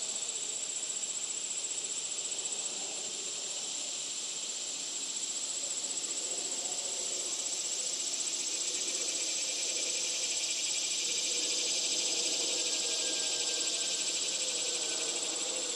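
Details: Loud cicada song, an unbroken, high, hissing drone with a piercing steady tone running through it and a quieter pulsing buzz in the middle range; a faint whistle passes late on.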